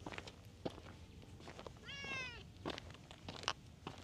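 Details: Stray cat on a cat island, patrolling back alleys, gives one drawn-out, slightly falling meow lasting under a second, amid faint clicks, taps and footstep-like noises.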